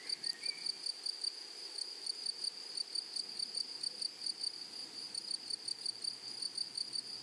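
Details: Insect chirping from grasshoppers in a flowering prairie meadow. A bright, high tone is pulsed in a regular, even rhythm of roughly four chirps per second throughout. A faint short whistle sounds at the start.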